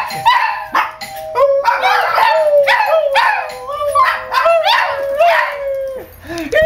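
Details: Several dogs go crazy at the sound of the doorbell, a loud chorus of excited barks and yelps mixed with long wavering howl-like whines, calls overlapping almost continuously.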